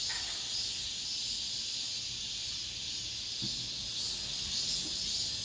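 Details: Cicadas singing in an apartment complex, the last cicada song of this summer: a dense, steady, shrill hissing buzz filling the high register, with a few faint low knocks in the background.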